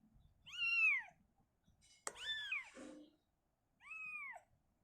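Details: Three clean, high meows with a rising-falling arc, separated by pauses, as the mother cat Shizuka moves her kitten indoors from a cabinet to open space. A single sharp tap is heard midway.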